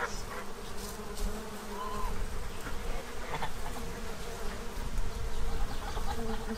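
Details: Many bees feeding at a tray in Central Illinois, stocking up for winter; a dense, continuous droning hum with a rumbling low edge, a few faint distant goose honks in the background.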